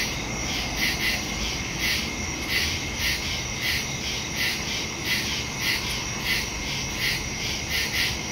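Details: Nocturnal cricket chorus in woods, recorded September 2, 2023 using a Samsung phone and Shure stereo mic; high sustained trilling with repeated chirp bursts around every 0.6 seconds and soft low background hum.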